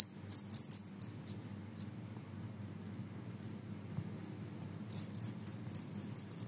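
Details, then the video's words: Genggong cricket giving loud, noisy chirps: a quick burst of three sharp, high metallic pulses, then a quiet gap with only a low room hum, and a new run of evenly spaced short chirps near the end. "suara jangkrik Genggong berisik"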